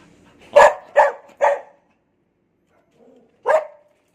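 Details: Cherry the dog, minding kittens, lets out three quick barks in a row, pauses about two seconds, then gives one more bark, "talking" in reply to questions.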